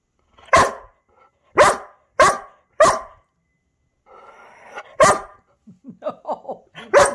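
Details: ['Male Irish Setter chatting for attention while his owner tries to work: loud broadband barks, four in the first three seconds, then a low grumble, another bark, a run of short rising whine-yelps and a final bark.']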